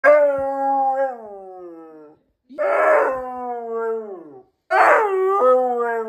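A Siberian husky gives three long, wavering howls that slide slowly downward in pitch.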